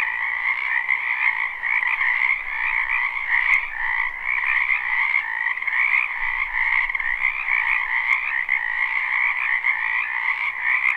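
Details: Spring frog chorus from a wetland behind a house, recorded live without looping: a dense, continuous wall of overlapping croaks in two bright bands, pulsing steadily with no gaps, with a few faint clicks on top.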